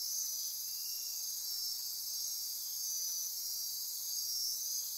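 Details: Midnight rainforest insects on Costa Rica's Osa Peninsula near Corcovado National Park, a steady high-pitched shimmering drone with layered trills that swell and fade slightly, no other clear sounds.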